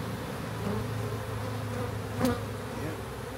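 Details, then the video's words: Massive honey bee swarm gathered in a backyard during capture, giving a continuous low buzzing drone with a brief knock partway through. "Country Man Captures Massive Honey Bee Swarm!"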